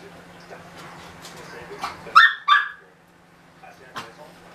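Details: Nearly two-month-old Russian Toy puppy lets out two quick high yips in a row, following soft murmured speech, with low electrical hum beneath and a brief tap afterward.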